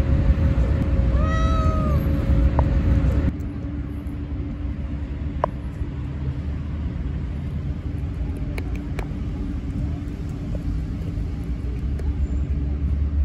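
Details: A stray cat lets out one short bending meow early on, then only constant low vehicle drone and a few faint clicks continue.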